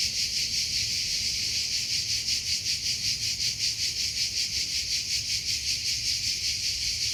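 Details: Cricket chirping in a natural setting: a dense, high-pitched trill pulsing in rapid, even chirps, roughly two to three per second, steady throughout with no other clear sounds.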